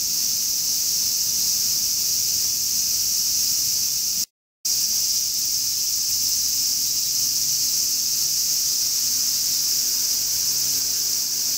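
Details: A steady electric-sounding sizzle from a large brown cicada on a summer day, constant in loudness, with one brief dropout around four seconds in.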